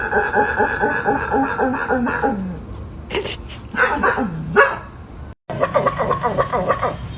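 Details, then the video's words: A dog making strange noises: a run of drawn-out, wavering whines and yowls with bending pitch, some sliding downward, then a brief silence and another burst of quicker, pulsing whimpering cries. "The dog made strange noises"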